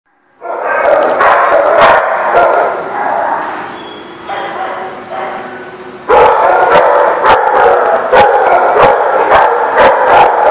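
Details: Several dogs at The Barking Lot, recorded 21 September 2019, bark sharply and repeatedly over a dense, noisy din of overlapping voices and yips; a louder burst of rapid barks starts midway, with human speech in the background.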